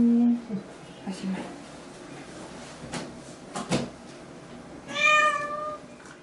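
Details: Pet cat in a carrier on the way to the vet for a vaccination, complaining about the trip: a human voice at first, then quiet rustling, then one clear, drawn-out, slightly falling meow near the end.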